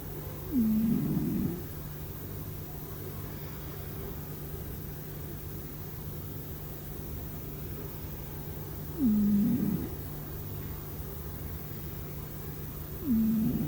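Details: Domestic cat asleep and snoring without realizing it, giving short low raspy snores roughly every eight seconds against a constant low background hum.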